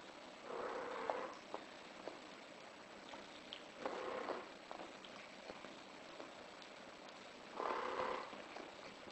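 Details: In heat, a British Shorthair cat calls three times, each call a steady mid-pitched cry of about a second, roughly three seconds apart, with light clicks between them.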